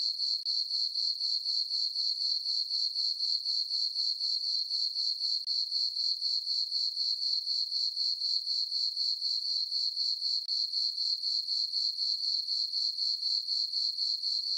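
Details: Crickets sing through a calm summer night on a farm meadow beneath the full moon, a sustained piercing chirp throbbing at a steady four beats per second for the whole stretch.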